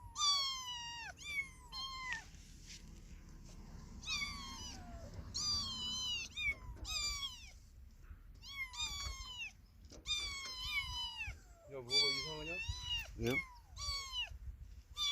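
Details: Kitten that lost its mother, mewing again and again: thin, high, sharply falling cries in quick runs, each about half a second, with short gaps and a faint low hum beneath.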